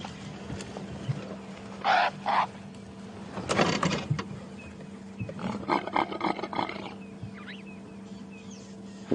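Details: At sunrise on a crisp, cool May morning in the Sabi Sands, South Africa, a courting male impala close by in thick bush gives loud, harsh, rasping grunt-roars in short bursts, hippo-like and said to resemble a leopard's sawing call, over engine hum and a man talking.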